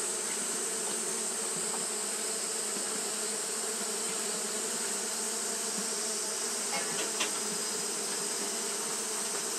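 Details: Steady droning hum of Japanese honey bees fanning nonstop on a hot day, an even low buzz with a faint overtone and constant hiss, plus a couple of light ticks near the end.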